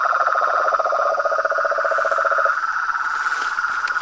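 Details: Frog and toad chorus, the symphony of toads, frogs and treefrogs: two layered pulsed trills, the lower one stopping halfway while the higher rapid trill continues steadily to the end.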